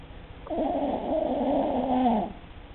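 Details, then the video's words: Empress, a Cavalier King Charles Spaniel, snores in her sleep: a nearly two-second nasal, wavering drone with a whistly, slightly rising and falling tone, clear over a quiet room. "Empress snoring"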